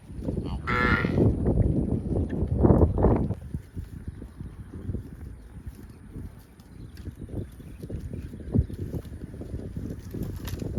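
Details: Cows roaming fields and calling for friends; one loud, strained moo rises and falls over the first three seconds, followed by scattered thumps and rustling movement noise.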